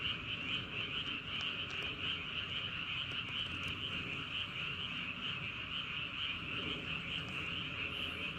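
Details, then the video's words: Frogs at night in Andong, South Korea, near Wolyeong Bridge and Hahoe Village, keep up a steady, dense ringing chorus of overlapping trills; scattered clicks and a low background rumble are also audible. "개구리. 바람소리 그리고 밤의 적막."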